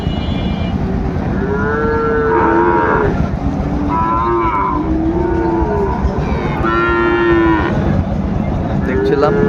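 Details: Sahiwal bull calves being bought and sold at Ambari market, Dinajpur, 27 February: several short, hoarse moos repeating every couple of seconds, some rising then falling, over constant buzz of people bargaining.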